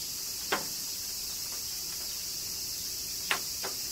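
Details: Cicadas singing during summer rain in Kyoto, Japan: a steady, high, hissing drone hangs unbroken throughout, while a few sharp raindrop taps land near the start and toward the end.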